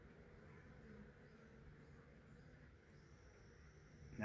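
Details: Massive honey bee swarm caught in a swarm trap, bees from a wild hive living in the woods for three years; a low, steady, droning hum holds evenly throughout, faint and unbroken, ending in a sharp click.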